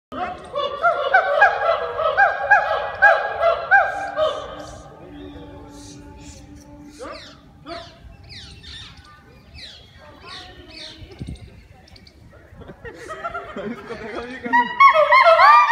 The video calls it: Gibbon singing their song